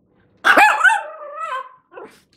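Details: A pet dog that uses talking buttons to tell its owner it wants to play outside gives one loud, drawn-out bark that bends up and then slides down. A short, quieter yelp follows in an otherwise quiet room.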